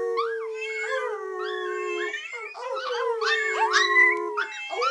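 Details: Teacup Chihuahua, indoors, howling at a meowing cookie jar while her family howls along. Long, steady, wavering notes overlap with rising and falling yelping slides from several voices, and a voice is heard at the start.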